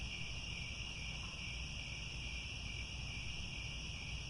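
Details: Sunset insect chorus of crickets in Cambodian grassland near Angkor Wat, a dense continuous shimmering trill in several high pitches, steady in volume throughout, with a soft low-frequency hum beneath.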